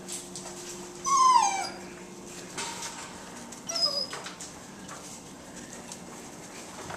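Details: Great Dane puppies in their pen, a couple of them eating nearby; a short high whine sliding downward near the start, then a fainter thin squeak, with a man talking over low room noise.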